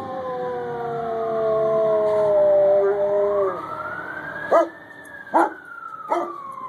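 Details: Sawyer, a Chinook dog, howling along with fire truck sirens as he has since he was a pup; a long sustained howl bends downward then rises, followed by three short yelping howls, with a siren wailing behind.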